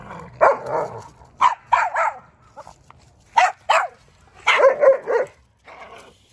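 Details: Odin the German Shepherd and little Bella ganging up on Samson the Boxer; a lively run of sharp barks and yips, several in quick pairs and triplets, with brief pauses between outbursts.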